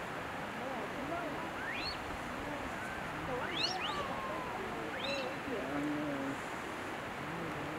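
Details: Japanese macaques moving together as a group at Jigokudani, Japan: overlapping tonal coos from several animals, some sweeping sharply upward to high squeaky notes, over a steady rustling background.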